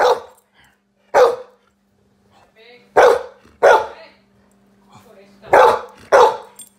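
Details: A Golden Retriever gives sharp, angry barks in uneven bursts, roughly every second or so.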